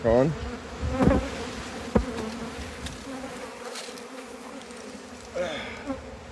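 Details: Honey bees at a hive during a harvest make a steady, low droning buzz throughout, with brief human voices at the start and again near the end.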